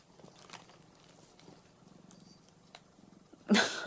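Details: Mac, an orange tabby house cat, rests on its owner's belly and purrs faintly in low, rhythmic pulses, the purring quiet and intermittent before a sudden loud burst of sound close to the microphone at the end.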